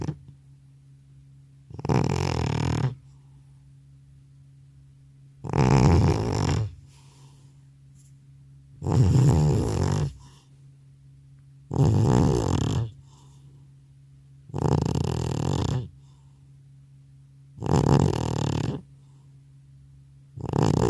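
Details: Old house cat, called grandpa, sound asleep indoors after returning from a vet visit, snoring loudly without a separate microphone: deep rumbling snores with a buzzy edge, seven in a row, each about a second long, roughly every three seconds, with a steady low hum between.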